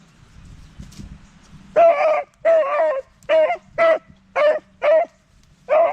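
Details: Beagle hollering, a run of seven loud, evenly spaced baying calls, each rich and harmonic, repeated roughly every half second after a quiet start with low household hum.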